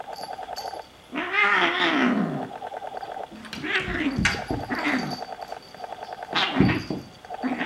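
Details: Two Bengal kittens, Xena and Gabbi, tussling in play or a fight: a drawn-out wavering growl-yowl that rises and falls, then shorter moaning cries and sharp hissy bursts over steady scuffling and scratching noise.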